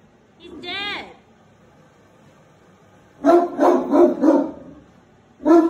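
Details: A Great Dane, upset by a deer head hanging on the wall, gives a brief falling whine, then a quick run of deep, booming barks.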